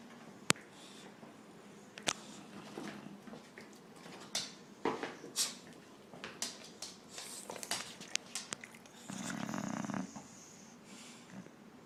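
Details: Sleeping English Bulldogs at nap time snore with rough, raspy breaths, and one low buzzing snore stands out near the end.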